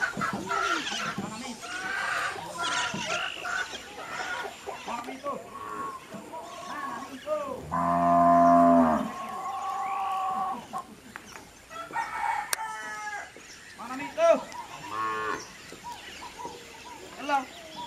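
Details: Dawn on the eastern Venezuelan plains: thin cows nursing calves and being milked, recorded on site. A single low, harmonic moo of about a second and a half rises mid-recording through dense chirping, whistling birdsong.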